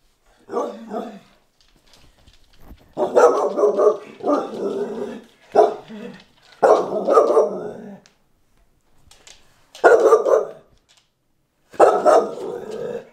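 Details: English Bull Terrier indoors barking at a new camera it dislikes: loud, gruff barks and growly bark bursts in uneven clusters, with short silent gaps between runs.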